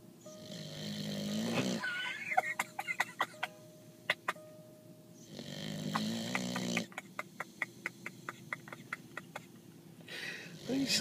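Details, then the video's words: Billy, a pet Mastiff, snoring while awake: two rough, low, buzzing snore breaths about four seconds apart, each lasting over a second. Sharp clicks and taps come between them, with a faint tonal hum underneath. "Billy the Mastiff Snore's while he's Awake"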